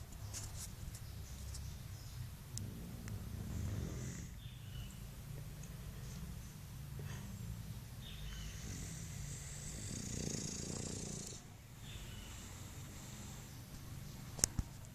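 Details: An English Bulldog named Mike snores while sleeping: a steady low rumbling drone that swells and fades in slow breaths, with faint hissy noise above and a sharp click near the end.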